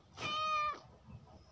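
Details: A pet cat gives one clear, tonal meow lasting about half a second, steady and then dropping off, over faint background noise.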